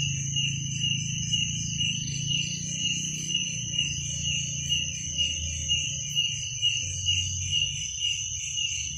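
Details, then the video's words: Cricket trilling at night, a constant high shrill drone with a higher overtone, over a louder low hum and faint pulsing tones in the background. "Suara jangkrik pada malam hari"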